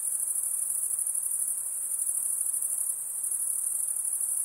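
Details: Continuous thin, high insect shrilling, a steady rapid-pulsed ringing tone holding the same level throughout, quiet hiss beneath.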